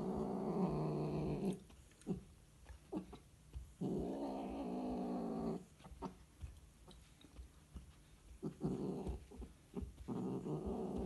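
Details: Scottish Fold cats during mating, giving long, low moaning growls in separate bouts of one to two seconds. Each bout ends in quiet gaps filled with small clicks and rustles.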